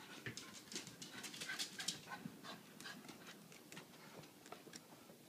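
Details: Wet corgi panting just after a bath, indoors: quick breathy bursts repeating roughly two to three times a second, uneven in spacing, with soft whimpery tones mixed in.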